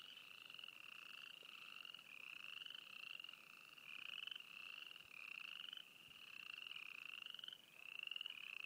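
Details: Chorus of frogs at Froggy Flats in East Glacier, Montana, with many callers overlapping in a constant wall of short, buzzy, upward-sliding trills, roughly one per second, and no other sounds.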